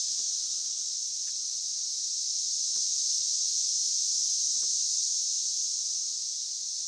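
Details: Dense chorus of 17-year periodical cicadas in a low-lying area of Oklahoma, 9 June 2013, makes an unbroken shrill whine like static or ocean waves, louder in person, with faint ticks and clicks beneath the drone; periodical cicada.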